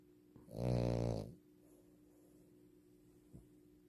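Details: Sleeping French Bulldog giving one loud rasping snore lasting about a second, rich low buzzy tone, followed by quiet room hum and a faint brief sound near the end.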